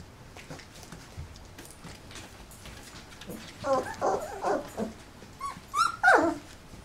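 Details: Indoor litter of 27-day-old Golden Retriever puppies belonging to Penny; a run of four quick, wavering whines, then a pause and two higher, sliding squeals, over soft background rustling.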